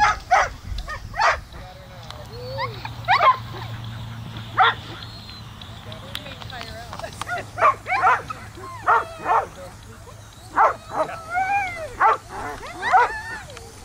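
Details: Three Samoyeds at a lure coursing event, chasing an artificial lure, give repeated sharp barks and high rising-falling yips and whines, with people talking in the background.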